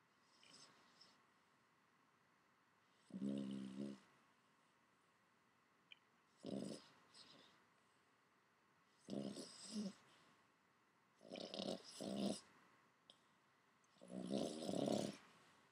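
A Boston Terrier snores with low, raspy, rattling breaths. The rumbling bursts come irregularly, roughly every two to three seconds, with quiet pauses between them.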